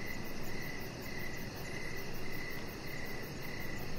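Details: Short stretch of evening cricket chirping beside a deck with a chihuahua puppy: about six quick, clear chirps, evenly spaced, against a continuous low rumble and a soft, very high fluttering pulse.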